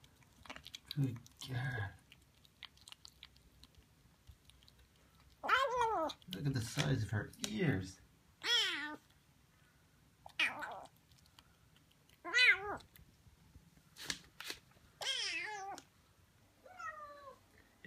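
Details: Noisy Siamese kitten vocalizing while eating, indoors: short wavering, meow-like cries with bending pitch, repeated every two seconds or so in the second half, over soft chewing sounds, with a low human voice early on.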